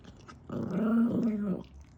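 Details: Pet dog at home being fed kibble, giving a single low, droning growl of about one second while eating, with a person speaking softly before and after.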